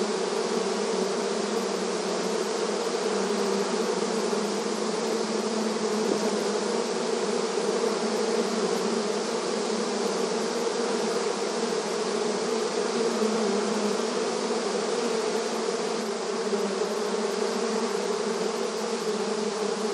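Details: A swarm of honey bees active at their hive entrance in the countryside, producing a continuous layered hum with low droning tones and a rich buzzy upper wash that never pauses across the stretch.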